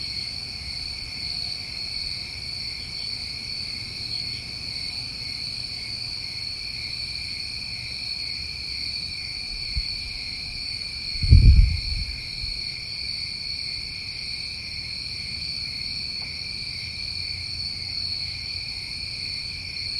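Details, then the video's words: Crickets on a New England summer night sustain a constant high, ringing trill throughout, with a single dull low thump near the middle and quiet low-frequency rumble underneath. "Tinnitus Masking With Crickets"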